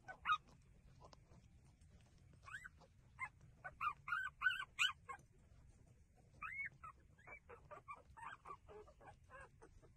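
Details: Street puppies whimpering while breastfeeding: high, arched whines, sometimes rising and falling, come in quick bursts of three to five, with louder clusters mid-clip and a soft low rumble underneath.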